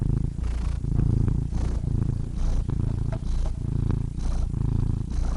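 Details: Purring cat heard up close, a rumbling low buzz in uneven surges, some breaths longer than others, with faint soft clicks over the steady drone.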